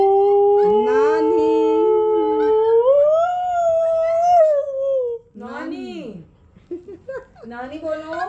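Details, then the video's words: Oreo, a husky prompted indoors to say "Radhe Radhe", holds a sustained howl that climbs in pitch midway and fades after about five seconds, then short talking-style yowls mingle with a person's voice. "Oreo is saying Radhe Radhe"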